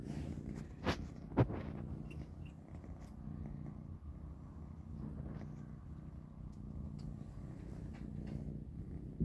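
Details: Dinnertime for three kittens, Panda, Grayie and Goldie, eating cat kibble. A low layered purr hums steadily while a few loud crunching bites stand out in the first two seconds, followed by softer chewing.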